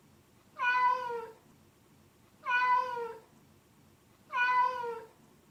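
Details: A domestic cat gives drawn-out, slightly falling grumbling murmurs about every two seconds, made while wandering alone when bored, dissatisfied, lonely, confused or uncomfortable.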